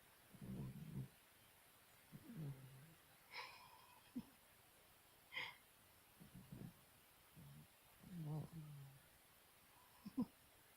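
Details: Sleeping Chihuahua snoring indoors, low rumbling snores coming in short bursts about every two seconds, each a throaty rasp with a few brief higher snorts between them.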